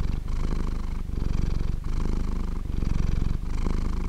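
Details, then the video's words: Close purring from a sleeping cat: low, buzzing rumble in phrases separated by short breath pauses about every 0.8 seconds, steady loudness throughout. "Cat sleeping and Purring"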